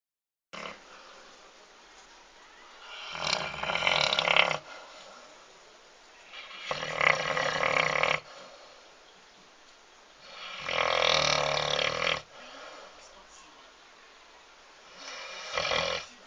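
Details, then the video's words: Lord the dog snoring while asleep: four long, harsh, breathy rasps roughly every four seconds, each lasting over a second, with quiet breathing between them. "Собака храпит"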